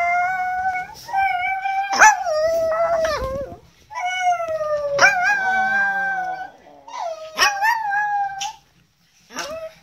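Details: Chihuahua dog 'singing' with vocal exercises: repeated drawn-out tonal howls in three long phrases, each wavering and dipping at the end, with brief sharp yips breaking in.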